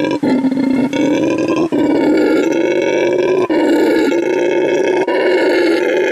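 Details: ['Territorial howling by Canelo, a male red howler saved from trafficking and living at Send Verde Animal Refuge and Eco Lodge, Bolivia: a loud, harsh, droning roar, briefly interrupted by several quick breaths between long phrases.']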